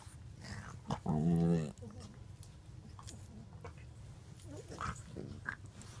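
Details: Two dogs, a white five-month-old French bulldog puppy and a five-year-old blue nose pitbull, recorded July 2nd 2014; one gives a low, steady, voiced growl lasting under a second, followed by soft scuffling and brief faint vocal noises.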